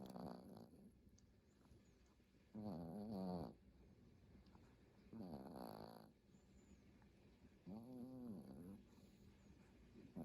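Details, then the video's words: Sleeping dog snoring, recorded 5-24-2022: slow rasping harmonic snores about every two and a half seconds in a quiet room, each breath a wavering buzzy drone. "snoring and puppy dreaming"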